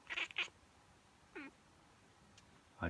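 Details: Two quick sneeze-like bursts, then Miez the cat, reacting as she always does to a human sneeze, with a short downward-sliding meow, followed by another noisy burst.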